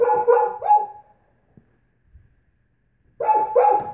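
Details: Great Pyrenees female objecting to having her nails polished, giving a burst of three rich, falling woofs, a pause of about two seconds, then two more loud woofs in quick succession.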